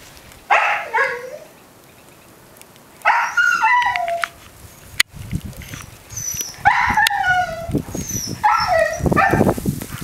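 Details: Mica, a young female Siberian Husky, screams from indoors in Belmont, Massachusetts, on the morning of February 9, 2013, wanting to go back out into Blizzard Nemo; drawn-out wailing yowls in separate bursts with falling tails, short pauses between.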